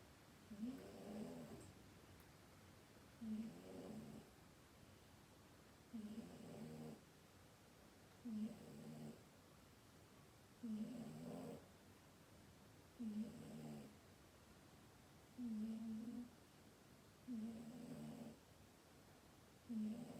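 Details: Sleeping cat snoring indoors: soft, low, throaty rasps repeated about every two to two and a half seconds, nine breaths in steady rhythm, quiet room.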